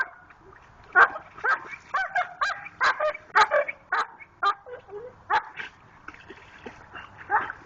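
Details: Pit Bull named Jayde digging for a rock in a creek, making funny noises: a run of high, whiny yips and squeaky whimpers in uneven bursts, some with rising and falling pitch, over faint water sounds.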